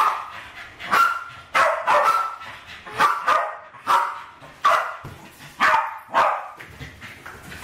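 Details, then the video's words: Kitchen play session with two West Highland White Terriers, Alfie and Crystal, around 7 and 8 years old, lunging at balloons in 2012; repeated sharp barks in uneven clusters, some doubled, across nearly eight seconds. "My Westies playing with balloons!"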